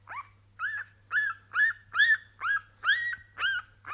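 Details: Staffordshire Bull Terrier puppies from a kennel litter, two female pups, giving loud high whining yelps about twice a second, each squeal rising then bending down, steady and insistent, with a low electrical hum underneath.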